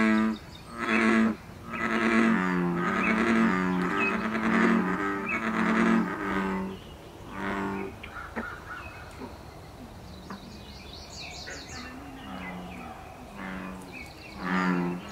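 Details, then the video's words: Breeding-season mating call of an American bullfrog in wild Canada: a run of deep, resonant, bass rumbles repeated about once a second, fading into quieter drones with high bird chirps in the background. "Saison des amours du ouaouaron/Breeding season of the Bullfrog"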